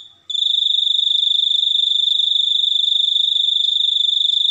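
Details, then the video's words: After a short quiet moment, a cricket launches into a continuous piercing trill of rapid, evenly spaced pulses, holding a high, unchanging pitch to the end. "suara jangkrik super unik"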